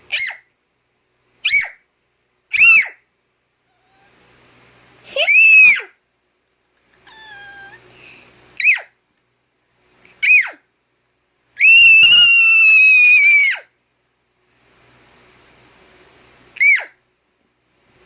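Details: A pet cat disturbed by a high-pitched noise during sleep answers with brief shrill squeals and harsh bursts, one drawn-out strained wail around the middle, scattered over eighteen seconds with quiet gaps and faint electronic tones.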